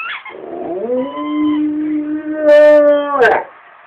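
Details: A dog named Rommel howling: one long, steady, low howl that slides upward at the start, holds its pitch, swells louder near the end, then breaks off abruptly, preceded by a brief higher squeal.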